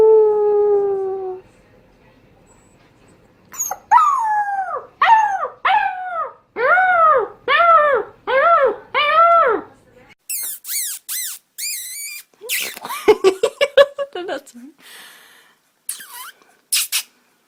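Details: Puppies learning to howl: a brief held note, then a run of six arched, rise-and-fall howls about one per second, followed by higher squeaky yips and whimpering bursts near the end.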